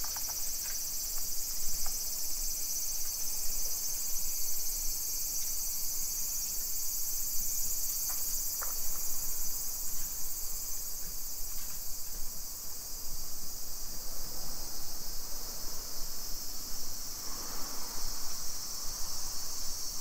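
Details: Cicadas on a hot summer afternoon, 2 PM, 28 July 2021, in a suburban neighborhood of Nisshin city, Aichi Prefecture, Japan: a broad, steady hissing drone filling the high range, with scattered faint clicks and a low rumble near the end.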